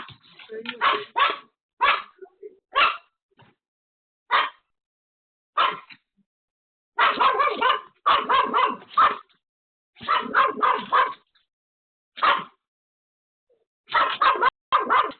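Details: Pomeranian Pomeko, alone at home, barking frantically at an unexpected visitor; a dense run of single yaps and fast multi-bark bursts, irregularly spaced, with brief quieter sounds between.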